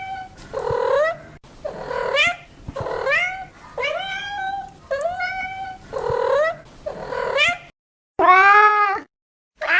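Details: Domestic cats meowing, a compilation of repeated meows: about seven drawn-out, harmonic calls roughly a second apart, each rising then falling, with a final louder, higher meow after a brief silence.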